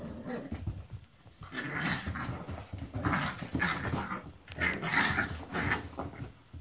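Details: Italian greyhound brothers wrestling in play indoors. The growling is rough and breathy, rising into louder, noisier snarls in waves about every second, mixed with shuffling and thumps.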